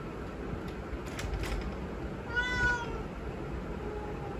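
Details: Domestic cat that came straight to the door after a small noise was made there; a single clear meow of about half a second, tonal and slightly wavering, after a few faint tapping clicks over a steady low background hum.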